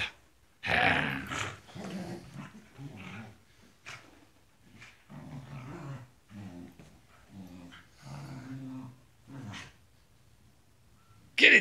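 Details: Tibetan Terriers growling in play indoors. About a dozen short, rough, throaty growls follow one another with brief gaps over ten seconds, low and rumbling with harsher edges. Each burst is separate. A sharp louder noise comes at the end.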